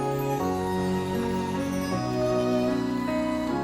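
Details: Soft, tender new-age music of sustained piano-like chords, with no animal voice heard.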